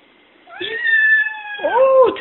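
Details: Domestic cat meowing at unseen birds, a long steady meow followed by a rising-falling second meow, with a voice speaking briefly in the background.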